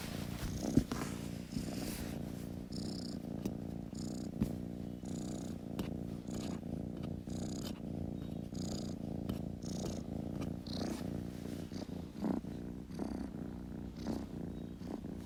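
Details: Kitten purring continuously, a deep buzzing rumble that rises and falls with each breath about once a second, with faint clicks and rustles above it.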